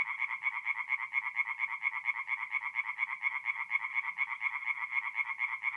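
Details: Night chorus of tree frogs at a forest pond, mid-April, north-east Italy: quick repeated nasal pulses in an even, throbbing rhythm, each burst bright and rasping, going on without a break.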